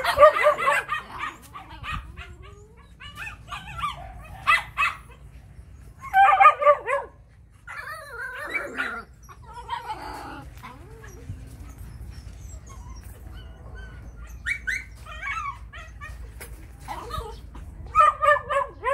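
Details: Yellow female Phu Quoc Ridgeback at a Saigon kennel in Vietnam, described as muscular and a rat killer; irregular clusters of high yelping barks and whines, busiest early and again near the end, with a quiet stretch between and a man's calm coaxing.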